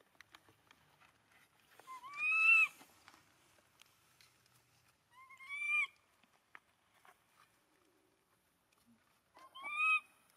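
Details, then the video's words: Three clear, drawn-out wails from an abandoned monkey clinging to its owner's feet. Each wail is a high, tonal cry that swells and then bends downward, spaced several seconds apart over near silence. "Un pobre mono abandonado llorando abrazando los pies de su dueño"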